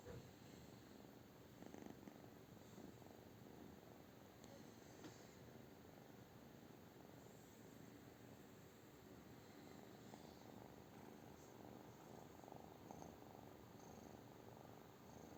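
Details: British Shorthair cat purring, a soft low rumble running without break, with light rustling clicks and brief higher noises scattered over it.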